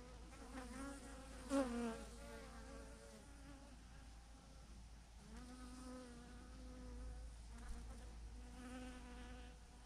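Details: Near a massive clump of thousands of honey bees on a branch, single bees drone past in turn, each a clear humming whine that bends slightly in pitch as it passes, over a quiet low background hum.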